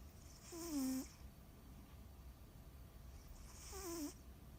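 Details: Sleeping cat snoring, two breathy snores each with a wavering nasal tone sliding downward, about three seconds apart, over a low steady background hiss.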